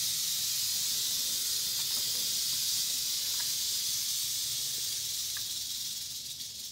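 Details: Continuous rapid buzzing rattle of an eastern diamondback rattlesnake, loud and even throughout, easing off slightly near the end, with a few faint clicks.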